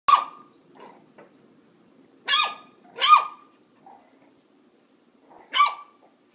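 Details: A Boston Terrier puppy playing with a cat gives sharp, high, yappy barks, singly or in quick pairs, with pauses between.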